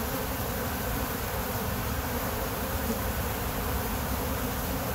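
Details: A short stretch of steady, thick buzzing from many kept honey bees. The low droning hum stays even, without pauses or other sounds.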